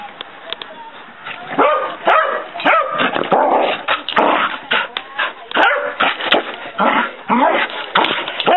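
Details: Overexcited female dog running around the house, letting out a dense, irregular flurry of barks and yelps at close to two per second, loudness surging and dropping, with a voice briefly audible underneath.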